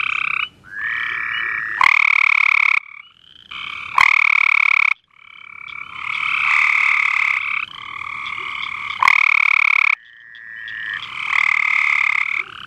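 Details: Cope's gray treefrogs heard at night, a few males trading harsh rapid trills of about one to two seconds each, overlapping and alternating, with sharp clicks and short pauses between them.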